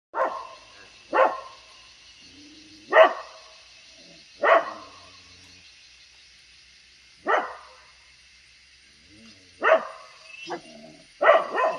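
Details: Dogs barking towards buffalo give sharp, harsh bursts at uneven intervals over a steady high hiss.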